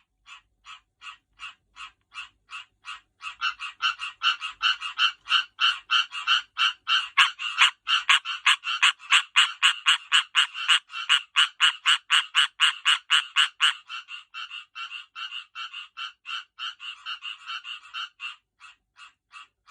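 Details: Tree frogs call while getting ready to breed, in a fast, steady series of loud, rattling clicks that swell and then ease off.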